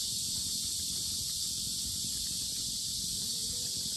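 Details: Loud cicada chorus at Asan's Sinjeongho lotus park, Korea: a steady, shrill wall of buzzing that never pauses, over a soft low rumble of outdoor background noise.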